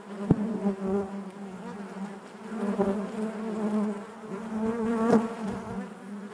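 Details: Honey bees buzzing inside their hive: a dense, steady drone with a low hum and stacked overtones, swelling and fading in soft waves, with brief sharper buzzes of single bees passing close near the start and end.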